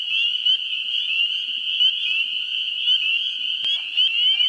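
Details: Chorus of spring peepers in a New Hampshire swamp, first week of April. Shrill overlapping peeps merge into a steady high ringing, with some clear upslurred notes. There is one sharp click near the end and faint wood frog clucks below.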